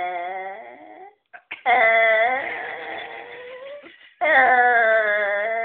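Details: A dog sandwiched between sofa cushions makes a strange noise: long, drawn-out, wavering whining moans, rising and falling in pitch with brief pauses.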